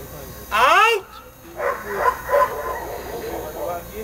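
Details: German Shepherd named Eros barking during training at a dog-training school: one loud, sharp, harmonic bark lasting about half a second near the start, followed by a person talking for the rest of the clip.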